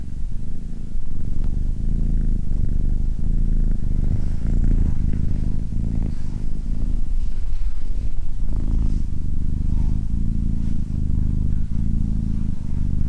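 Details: Steady rumbling purr from a cat, deep and buzzy, pulsing with regular breath breaks, with light rustling faintly audible around it.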